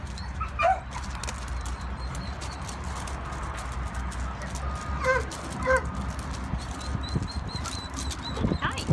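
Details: A stray intact male Weimaraner about 1 year old, at an Indianapolis animal shelter on 1 November 2016, gives a quick pair of short, harsh barks, then a few more, over a low rumble with faint voices and clatter.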